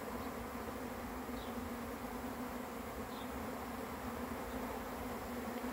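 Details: Honey bees swarming in, a continuous low droning buzz from many insects, steady and unbroken, while a distant bird gives occasional faint high chirps.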